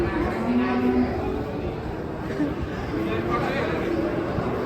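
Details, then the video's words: Agitated masked cow unloading from a truck: short low moos rise and fall briefly amid a busy background of human voices. "SAPI LUCU BERTOPENG NGAMUK PARAH TURUN DARI TRUK"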